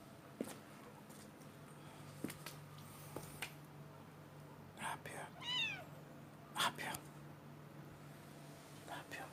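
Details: Stray street cat giving a short run of arched, wavering meows around the middle of the recording, with sharp scattered clicks and knocks and a low steady hum underneath.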